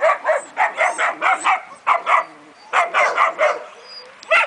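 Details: Leon, a German Shepherd, letting out a steady series of short, high yelping barks, about four per second in bursts, pausing briefly twice before resuming.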